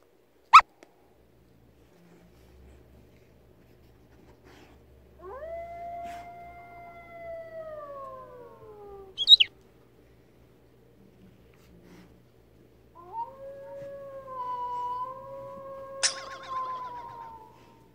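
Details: A rescued retriever-mix puppy (Labrador Retriever mix), hearing howling for the first time, howls back in long, smooth tones that slide downward and then hold steady; Golden Retriever.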